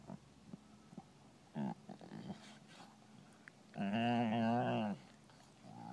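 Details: European Basset Hounds playing at the Bellingham Bassets kennel, March 2013: after quiet shuffling and faint soft sounds, one long, loud, wavering hound howl with rich harmonics lasts about a second, then fades to quiet.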